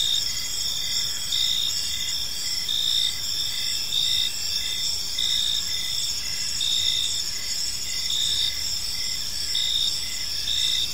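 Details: Evening in a quiet park, a chorus of crickets keeps up a continuous shrill chirping, layered high tones with short repeated pulses and gentle swells in loudness throughout.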